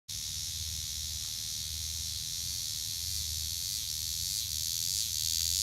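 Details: Cicada recorded up close: a steady, dense high-pitched buzz that holds without a break and swells slightly louder toward the end, with a faint low rumble beneath.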